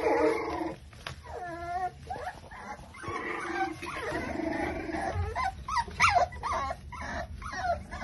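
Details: Litter of five-week-old Exotic Micro Bully puppies, from Buffalo, New York: several overlapping high, wavering whines and yelps, with a run of stepped, rising whimpers near the start and sharp squeaks later, all crowded together.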